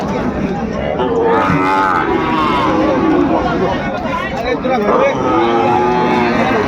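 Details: Sahiwal bulls and calves for sale at a busy livestock market in Ambari, Dinajpur, Bangladesh, 18 November 2024; several long, droning moos rise and fall among a crowd murmur and a man talking nearby.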